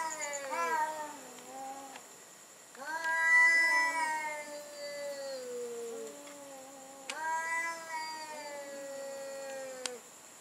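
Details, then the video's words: Cats in a night-time sound battle: long drawn-out yowls with stacked wavering harmonics, each falling slowly in pitch over one to three seconds, several overlapping cries with short gaps, steady faint high hum behind. "Cat Sound Battle at Night"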